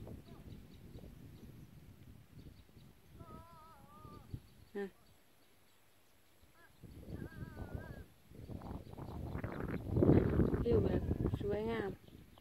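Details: Sheep near the Huai Ling Jon reservoir road in Thailand, with cattle and goats nearby, give wavering, nasal bleats several times in cool, soft-sun weather while a man talks outdoors.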